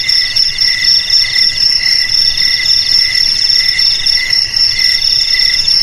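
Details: High insect trilling from crickets meant to scare off rats, an almost continuous ringing drone with quick pulsed chirps layered on top and little pause between them.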